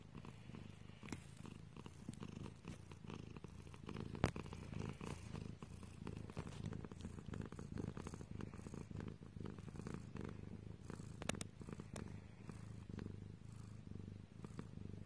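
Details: Domestic cat purring steadily, a low continuous rumbling throb with even pulses, close to the microphone indoors; a single sharp click near the middle.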